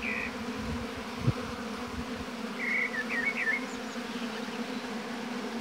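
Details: Honey bees buzzing at the hive in an apiary: a steady low hum with layered droning tones, a brief click near the start, and a few short chirping bird notes partway through.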